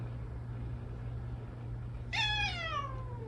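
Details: After a quiet stretch of low hum, pet cat Odeuri, hoarse following tooth extraction surgery, gives one short, sharp meow near the end, starting suddenly and sliding downward for about a second, indoors.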